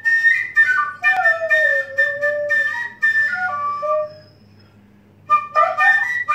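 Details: Singing saluki named Igor howls in long gliding notes, a wavering tone sagging then flattening, with higher overtones. A brief pause precedes a fresh rising burst of howling near the end, accompanied by a steady high tone.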